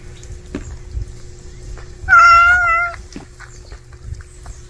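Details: A cat, part of a scene of a stray cat stealing a house cat's food, gives one clear harmonic meow lasting under a second, slightly falling at the end, over low background rumble and faint clicks.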